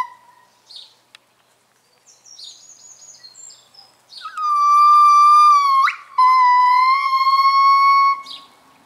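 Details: A pair of gibbons at Dierenrijk zoo sings a morning duet of long, pure, sustained hoots with a sharp rising whoop, the local morning chorus.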